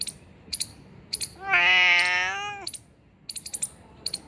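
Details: Cat found two kilometres from home gives one long, loud meow lasting about a second, steady then slightly falling, amid brief clicking and rustling sounds.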